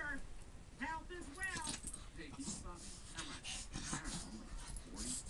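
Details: Two Shih Tzu dogs at play, giving high whiny whimpers and yips that rise and fall in short bursts, with a person talking in the background and rustling noises throughout.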